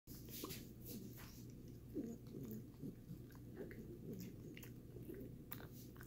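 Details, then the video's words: Dog chewing a Greenies dental treat indoors, close-up; steady crunchy gnawing and soft clicking bites repeat throughout with a low hum in the background. "Dog eats greenies treat"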